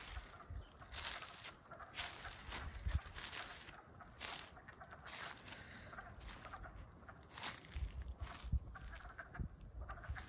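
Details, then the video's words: Wood frogs calling on 7 April 2020 in Middlesex, Vermont, in early spring, minutes after waking; a steady chorus of hoarse, duck-like clucks with louder bursts rising over the background din. "The Wood Frogs Wake Up at Frog Moon Hollow 2020!"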